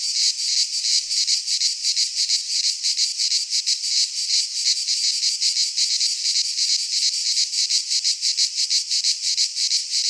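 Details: Greek pine-forest cicadas in midsummer produce a loud, even, high-pitched buzzing, rhythmically throbbing at a quick regular pace for the whole stretch.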